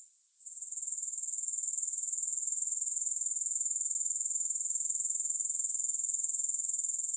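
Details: Grasshoppers' thin, very high buzzing swells in over the first second, then settles into a steady, fast, even pulse with no other sounds.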